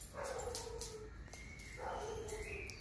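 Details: Rudy, a male setter dog at a summer house, gives two drawn-out, tonal, whining vocalizations, each about a second long and steady in pitch, with a short pause between them and soft background noise.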